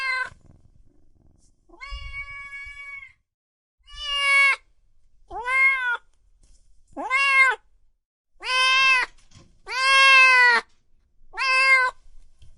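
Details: Kittens and cats meowing loudly, a run of about eight clear harmonic meows, each rising then falling, spaced roughly one to two seconds apart in a quiet setting.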